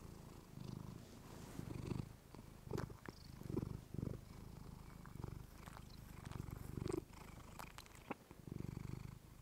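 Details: Pet female cat purring close to a fluffy microphone indoors; low rumble broken by irregular louder pulses and small clicks and rustles.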